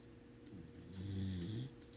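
A sleeping corgi puppy snores with a low, rumbling, slightly nasal breath.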